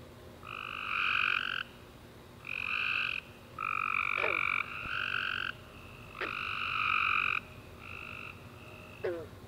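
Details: Several tree frogs calling together at night after a warm rainy summer day, giving harsh trilled bursts of one to two seconds, separated by quieter pauses, with occasional short falling chirps.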